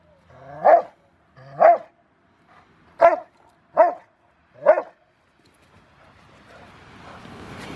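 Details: Rottweiler, a five-year-old male in bite training ahead of a ZTP trial, January 2020, gives five deep, rich barks about a second apart, followed by rising rustling noise.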